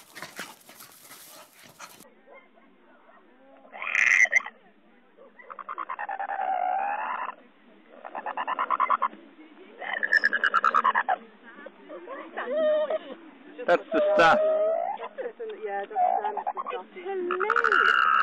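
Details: American Staffordshire Terrier yowling in a string of loud, drawn-out, wavering howls and whines, each rising and bending in pitch, separated by short pauses, with brief speech at the start.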